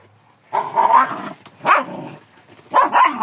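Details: Kangal producing three loud, high-pitched barks, the first long and whining, the next two short and rising, separated by about a second of quiet.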